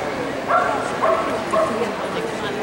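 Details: Miniature Pinscher at the Eukanuba 2013 show in the owner-handler champion class, giving three short, high, tonal yips about half a second apart over steady indoor hall noise.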